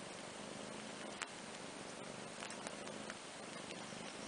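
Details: Two half-sibling house cats, young Andrew and older sister Ana, resting on a playmat; a quiet continuous purr rumbles low under small taps and rustles.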